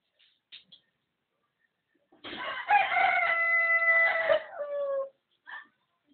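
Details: Dog trying to sing like a rooster, giving one drawn-out crow-like call of about three seconds. The tone is steady and richly harmonic, then drops in pitch at the end, with brief faint sounds before and after.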